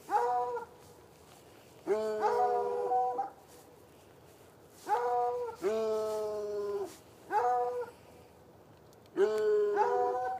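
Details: Two chained hounds, one white and one dark, bark on a Saturday night in a bushy area by an irrigation ditch, about 10 yards away, giving drawn-out, tonal barks in roughly one-second bursts with brief pauses between outbursts.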